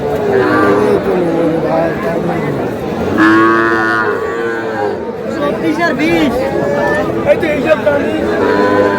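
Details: Young bulls and heifer calves in a Cumilla livestock market, 21 July: a long, rich moo rising then falling in the middle, with shorter lows around it and steady market chatter and human voices underneath.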